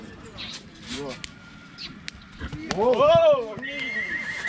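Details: Horse offered for sale at Vicovu de Sus, Romania, neighing once, a strong wavering whinny rising and then falling over about a second, preceded by knocks and quiet chatter, with a high whine afterwards.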